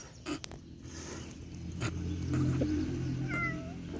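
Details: Stray cats feeding outdoors in the cold, a white cat approaching a gray cat that slaps it away from the food; a low rumbling growl, then a short, bright meow that rises and falls near the end, with clicks and rustling around.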